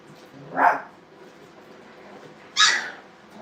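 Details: Brittany puppies at playtime in a training kennel, live-streamed from Hilltop Dog Puppy Training Kennel; two short, sharp yapping barks about two seconds apart over a quiet background.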